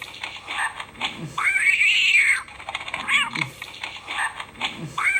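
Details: Domestic cat giving a long, arched meow that swells and sinks over about a second, followed by shorter chirpy mews, against a noisy hissing background with tapping sounds.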